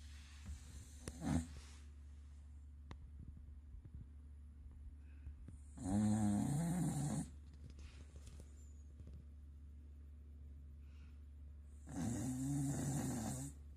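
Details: Sleeping Corgi snoring heavily indoors: three rasping, rumbling snores roughly six seconds apart, each a low throaty rattle with breathy hiss, quiet breathing between.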